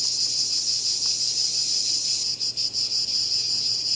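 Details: Cicada call: a steady high buzzing drone that, after about two seconds, breaks into a series of quick pulsed bursts with short dips between them.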